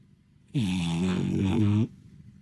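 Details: French Bulldog napping while basking in the sun, its snoring as loud as a man's: one long, low, rasping snore of about 1.3 seconds, droning and buzzy at a steady pitch, with a quiet room before and after.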